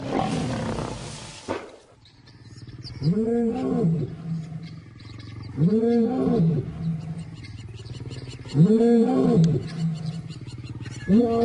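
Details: Lions roaring their displeasure during an attack as cubs scatter into the bush; deep arched roars repeated about every three seconds after a noisy opening burst, with faint background music.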